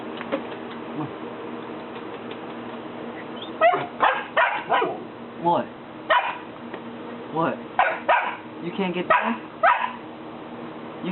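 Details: Three-month-old Golden Retriever puppy named Buddy, scared to come down a single step and wearing a collar he dislikes, barks at his owners. Sharp barks come in a run of about a dozen after a quiet start, with people coaxing him in the background.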